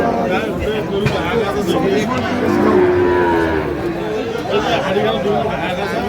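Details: At a Kurigram cattle market in Bangladesh, 16 March 2025, Sahiwal bull calves up for sale; one long, low moo holds through the middle, surrounded by continuous market voices and faint music.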